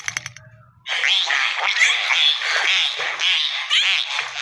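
Dolphins chatter in a dense stream of high whistles, squeaks and rapid clicks.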